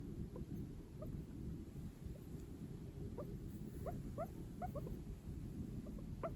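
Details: A male Sheltie guinea pig, born September 2022, gives soft, quick rising squeaks in short bursts over a low rumble; the owner thinks the humming-like sound comes through its moving nose.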